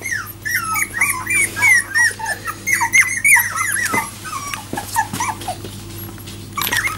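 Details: Several four-week-old Jack Russell Terrier puppies just starting to walk, indoors: a busy chorus of high, wavering squeaks and whines, many overlapping, with a low steady hum underneath and occasional clicks.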